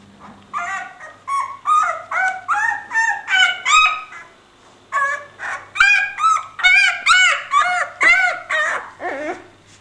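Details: Leonberger puppy, not really hungry, doing climbing exercises while its littermates sleep; loud, high, wavering whimpers and squeals with rich overtones, roughly two per second, a short pause near five seconds, then a denser run of whines.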